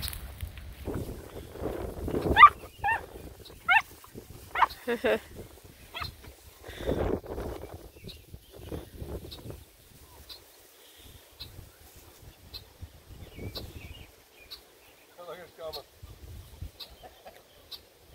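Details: Redbone Coonhound puppies romping and playing with a Bluetick Coonhound puppy; short high whines and yelps come in scattered bursts, fading toward the end, with a person speaking softly between them.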